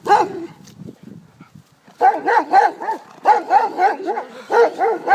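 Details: Six-month-old Bernese Mountain Dog Nelson barks fearfully at another dog: a couple of yelping barks, a pause with faint rustling, then a rapid run of repeated, arching barks about every third of a second.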